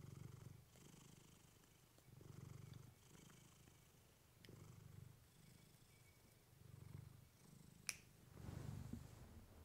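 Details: Clementine the cat purring softly into a fluffy mic, a female's low vibrating drone rising and falling in regular breath-paced waves, with one sharp click near the end.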